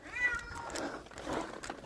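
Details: Stray cat outdoors in a windy snowstorm, calling for food: a drawn-out, slightly falling meow near the start, then fainter wavering cries mixed with rushing wind noise.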